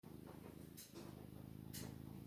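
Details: Male long-haired Maine Coon cat, described as a really loud purrer, giving a low, steady rumbling purr with fine rapid pulsing throughout, plus a few soft clicks and rustles.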